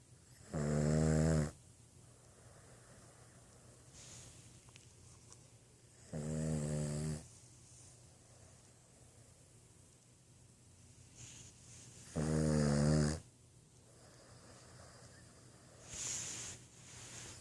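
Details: Snoring Boston Terrier: short buzzy snores repeat roughly every five to six seconds, three strong and a fainter fourth, with soft breaths between over a steady low hum.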